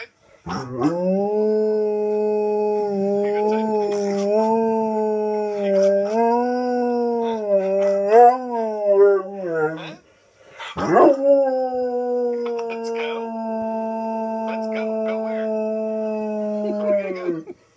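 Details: An Alaskan Malamute gives two long, wavering howls, each steady in pitch with small rises and falls, reacting to his own video being played back indoors.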